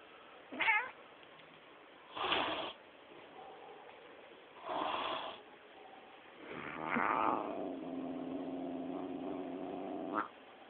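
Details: Female domestic cat described as sometimes sweet, sometimes devilish: short bursts of harsh, broadband vocalising spaced about two seconds apart, ending in a longer drawn-out, tonal wailing meow around the eighth to tenth second.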